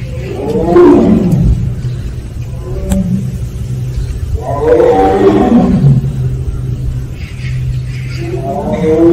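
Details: Three arching 'aung' vocalizations from a Siberian tiger of Penja's family, kept at Seoul Grand Park. Each is a rich, throaty moan that swells and then drops in pitch, separated by pauses of about four seconds, with a low background drone.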